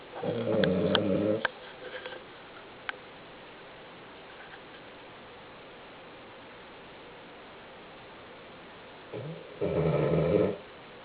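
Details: Marble-coated male Cavalier King Charles Spaniel weighing 11 kg, asleep indoors, snoring loudly: two rough, rumbling snore bursts of about a second each, separated by roughly eight seconds of quiet breathing and faint ticks.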